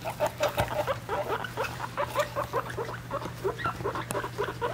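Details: Pet guinea pig babies, three weeks old, with their mother: rhythmic, closely spaced chirping squeaks repeating throughout, some rising at the end, against a low steady background hum.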